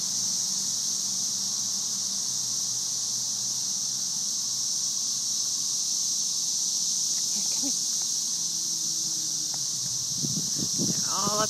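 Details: Masses of periodical cicadas, thousands in the trees during a May 2011 emergence, form a continuous high sizzling drone like white noise; a person approaches the trees, with brief low rustling and a short voice near the end.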